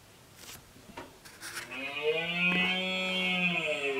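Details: Rutting red deer male at the end of summer, keeping a harem of females and chasing off other males; after a few faint knocks, a drawn-out, hoarse bellow swells and holds steady for over two seconds.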